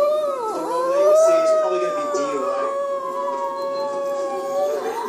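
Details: Female pet dog howling indoors while watching a police TV show, imitating sirens: one long sustained tonal howl with a brief dip and wavering pitch near the start, then holding a steady, slightly falling note for about five seconds.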